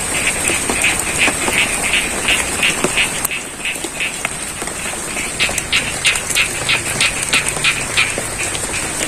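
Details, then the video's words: Rice-field frogs at Sidorejo, Pacitan, Indonesia, croak during rainfall: short sharp notes repeated roughly three times a second, clear above steady rain, with a few louder drip-like taps and a constant high whine. "Suara Kodok & Air Hujan - ASMR Sound of Frogs & The Rains"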